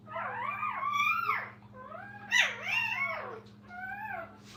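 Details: Kennel puppies beside their mother give three drawn-out, arching whimpers, the middle one sharper and louder, each bending up and falling away, with a constant low hum underneath.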